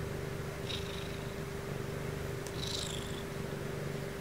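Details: Sumomo, a fluffy female Ragdoll cat kept as a pet, purring during her bedtime routine: a steady, low, even rumble throughout, with two brief faint higher rustling sounds in the background.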